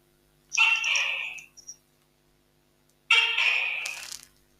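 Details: A large (about 30 cm) male Tokay gecko in Thailand gives his loud mating call: a series of about seven harsh, two-part croaking notes, a common number that ranges from 4 to 9.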